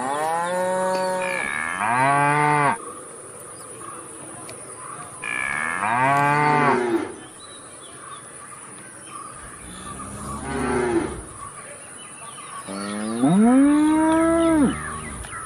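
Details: A cow lows repeatedly, four to five moos spread over fifteen seconds, some short and falling, the last a strong rising-then-falling bellow, over a constant faint high whine.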